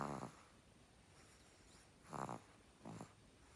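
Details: Sleeping puppy snoring: three short, rough, breathy snorts, the last two close together about two seconds after the first, in a quiet room.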